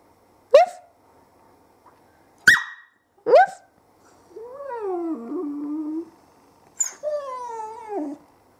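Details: A 20-week-old female whippet 'talking': three quick sharp yips, then a long wavering groan that bends up and down, and a final sliding howl-like whine; quiet room, owner chatting around the sounds.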